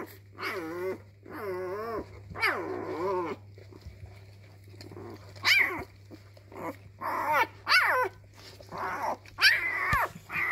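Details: Labrador retriever puppy discovering its voice. High, wavering, harmonic yelp-whines come in bursts about once a second, rising then falling, with short sharp yips between them. A steady low electrical hum runs underneath.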